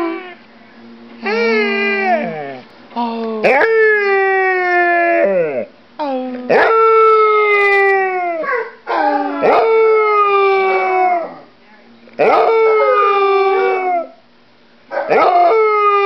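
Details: Dog howling while holding a bone, long harmonic howls falling in pitch, repeated in bursts every few seconds with short gaps, a person speaking softly to it between howls.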